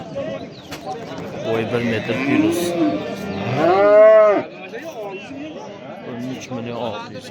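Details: At the Oqtepa cattle bazaar in Oltinko'l district, Andijan, Uzbekistan, a bull gives one long arching bellow past the midpoint, rising then falling, amid market chatter and nearby men speaking.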